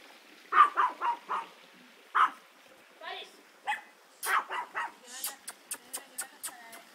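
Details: Old English Sheepdog puppies, 55 days old, playing: a quick run of short harmonic yips and barks, then a lone yelp, with more bursts and sharp clicks later; people talk in Spanish between them.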